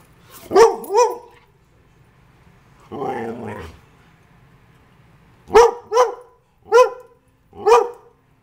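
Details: Pet greyhound barking: two sharp barks, a lower rumbling grumble, then four loud clipped barks spaced about a second apart, in a quiet room.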